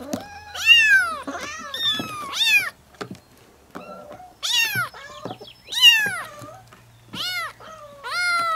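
A kitten gives high, thin meows that rise and fall, in quick bursts of two or three.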